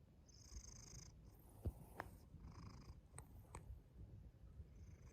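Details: Pet cat making a strange rhythmic popping noise from its mouth, several crisp clicks over a continuous low rumbling purr, with faint high hissy bursts at intervals.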